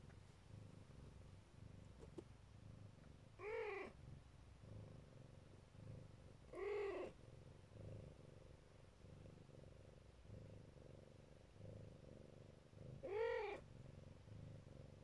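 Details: Mother Siberian Neva Masquerade cat guarding her babies, purring continuously and low, broken by three short arched mews spaced several seconds apart.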